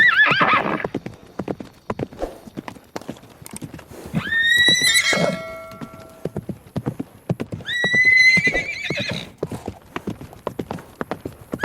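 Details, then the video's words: Horse giving two loud whinnies, each starting high and sliding down in shaky, ringing tones, separated by a few seconds while hooves clip-clop continuously in the background. "SOUND OF HORSE NEICHING SOUND OF HORSE SOUND HORSE GALOATING"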